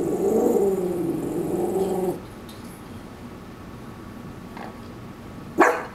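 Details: In a backyard, Koa, a Shih Tzu Maltese mix, protests at something beyond the fence with a two-second wavering, rising-and-falling warble, then quiet hum and a sharp short yip at the end.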